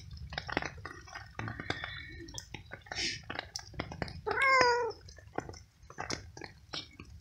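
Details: Stray cat fed cooked veal on a rainy night, meowing as it eats; one short clear meow amid chewing, rain patter and faint speech.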